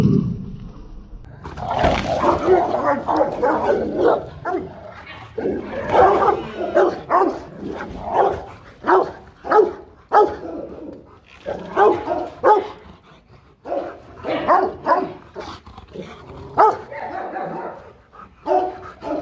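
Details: Rottweiler guard dogs at a kennel, barking in repeated harsh, hoarse bursts that come roughly every second, loud and insistent, with human voices talking underneath through much of the recording.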